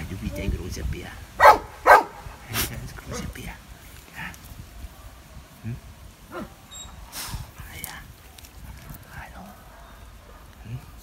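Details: Biberach animal shelter dog Benno, sold online as a Landseer puppy, wary of a stranger. Two loud barks sound close together early, followed by softer scattered barks. Talking can be heard throughout.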